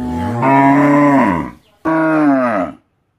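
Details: Bullock in a farm cattle shed, caught on CCTV as a farmer comes to feed the animals and untie three bullocks: two deep, steady harmonic moos, the first longer, separated by a short pause, ending in silence.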